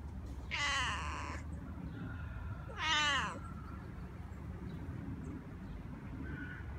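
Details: A talking domestic cat gives two clear meows: a long, bright, harmonic-rich call lasting nearly a second, then a shorter one with wavering, falling pitch about two seconds later, over a steady low background rumble.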